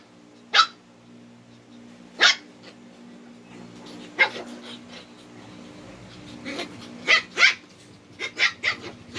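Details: Quarrelling pair of twin Shih Tzu dogs challenging each other: a series of sharp, high barks, spaced at first, then coming faster in quick clusters near the end, with a faint low hum in the room.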